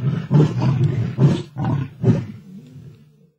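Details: Male lions battling over a kill in Africa, two rivals in a tug-of-war; four or five harsh coughing growls about half a second apart, then a softer trailing rumble.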